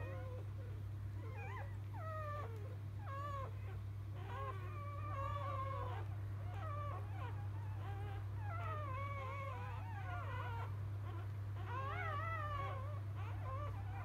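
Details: Freshly born field-line Labrador Retriever pups, litter of 2017 JFA Grand Champion biscuit, cry in thin, quavering whimpers that bend up and down, overlapping in quick irregular bursts above a constant low hum.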